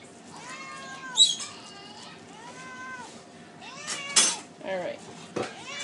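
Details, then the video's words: Two hungry pet cats, Tiggy and Simba, calling for food at home: a string of arched, wavering meows, about five in six seconds, broken by sharp clatters and a person's voice. "Hungry Cats"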